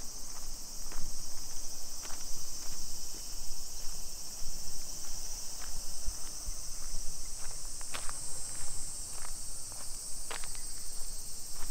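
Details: Cicadas on a July 2021 afternoon walk in suburban Nisshin, Aichi Prefecture, Japan: a loud, steady shrill hiss runs throughout, punctuated by crisp footsteps and light clicks, with low traffic rumble beneath.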